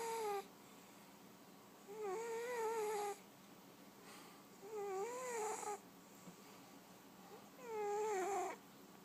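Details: Sleeping fat cat snoring in a regular rhythm, each breath carrying a wavering, whistle-like hum that lasts about one second and returns every two to three seconds over a faint hiss.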